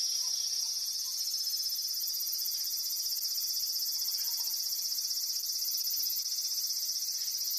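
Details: Wild cicada calling while confronting a cat, filmed 13 August 2017. A shrill, high buzzing drone with fast, even pulsing runs unbroken from start to end. No other clear sounds.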